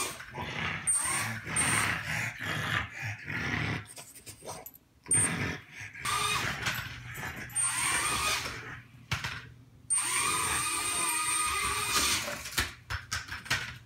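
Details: Indoor French Bulldog reacting unhappily to a small race drone, with repeated hoarse barks and growling bursts separated by short pauses, while the drone's buzzing high-pitched motor hum rises and falls throughout.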